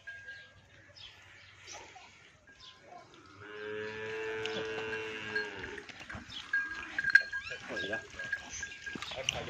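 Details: Nili-Ravi buffalo offered for sale in Punjab, Pakistan, gives one long, drawn-out harmonic moo of about two and a half seconds midway through, rising slightly then falling away, with murmured voices and scattered clatter around it.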